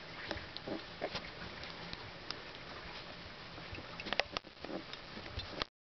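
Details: Two-week-old Basenji puppies, just starting to open their eyes, give soft grunts and brief squeaky whimpers against a steady hiss.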